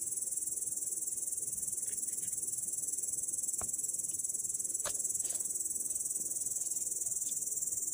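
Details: Grasshopper sitting in grass on 18 August 2017, its shrill hissing trill running on evenly at roughly four pulses per second, with a few faint clicks and taps in the background.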